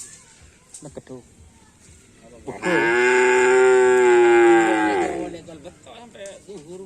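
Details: Bull racing (karapan sapi) cattle practising at a field in Asemanis, Pamekasan: a sustained, strongly harmonic moo of roughly two and a half seconds, steady then tapering, framed by faint grunts and brief vocal sounds.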